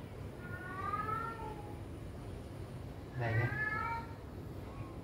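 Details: Kitten giving two drawn-out, falling meows, one near the start and a louder one a few seconds later, over a steady low background hum.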